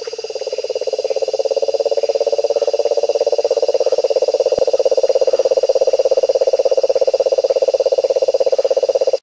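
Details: Cane toad (Rhinella marina) call: a long, steady, low trill like a purring motor.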